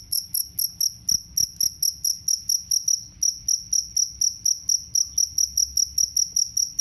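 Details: A jangkrik kalung, the two-spotted cricket, kept to scare rats away and to teach caged birds; bright, high trilled chirps follow one another quickly and evenly, about four each second, over a faint low hum.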